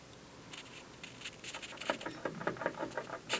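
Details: Gnawing squirrel on an office windowsill in the afternoon; after a near-silent start, rasping bite strokes build up, irregular and roughly three per second, ending in a louder scrape.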